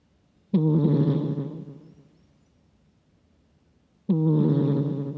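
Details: A cat asleep and snoring into a nearby microphone, a surprisingly gruff, man-like sound: two coarse, droning inhalations roughly 3.5 seconds apart, each loud at onset and trailing off, the room otherwise still.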